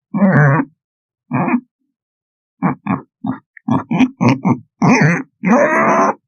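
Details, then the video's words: Pig grunts, deep and nasal, given singly at first with long gaps, then in a quicker series of short clipped grunts ending in two longer drawn-out ones. "Pigs - Sound Effect"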